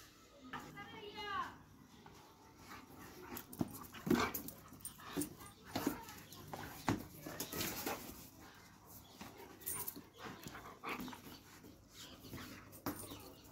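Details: Dobermann dog giving a few high, rising whines near the start, followed by scattered thuds, clicks and human speech in a room.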